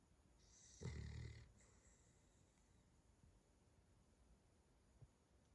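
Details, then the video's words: Cavalier King Charles Spaniel snoring: one loud, low, rumbling snore lasting about half a second near the start, followed by quiet, faint breathing for the rest. "Snoring Dog. #cavalierkingcharlesspaniel #snoring"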